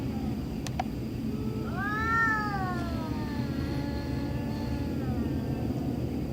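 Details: In the middle of the night a cat lets out a single moderate, arching yowl that rises then slowly falls and fades, against a noisy low rumble and a brief click early on.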